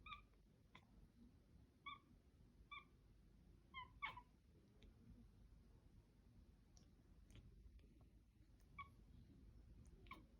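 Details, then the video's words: Mila, a cat, making weird noises indoors: short, bright chirping calls in quick clusters of two or three, fading between bursts, over a low steady room hum. "Mila makes weird noises"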